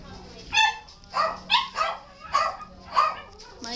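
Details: Shelter dog barking: six sharp, harmonically rich barks at uneven intervals of roughly half a second, each with a brief bright onset, over a steady low hum in the background.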